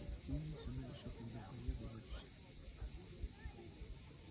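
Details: Crimean coastal cicadas at sunset, Cape Fiolent: an unbroken high metallic whine holds steady, with short low murmuring tones and a couple of faint taps beneath.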